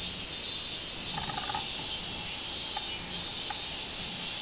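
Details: Robust cicada (minminzemi) recorded 24 July 2016: a dense, hissing high-pitched insect drone with slow pulsing throughout, plus a short harmonic chirping sound near the middle.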